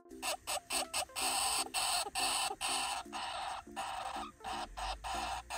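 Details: A hamster hisses in short, harsh, breathy bursts over soft background music; hamsters hiss to protest when really sad, sometimes when alone in the cage.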